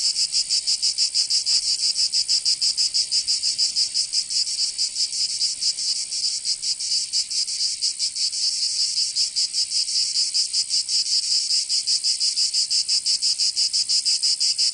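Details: Summer cicada chorus from Provence in the south of France: a continuous, piercing high-pitched drone with quick rhythmic throbs, slightly uneven in places, and nothing else clearly heard.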